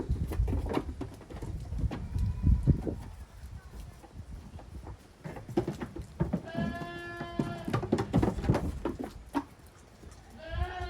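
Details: Young goat kids romping vigorously in a farm exercise yard on 30 April 2023. Thumps and scuffling fill the first half, then a long wavering harmonic bleat rings out, followed by a shorter bleat near the end.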